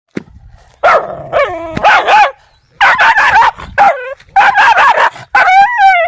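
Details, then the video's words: Angry, aggressive dogs barking in bursts, sharp broadband barks mixed with wavering, whining yelps that rise and fall, short pauses between volleys. "ANGRY Dogs Barking Sound Effects (Aggressive Dogs Barking)"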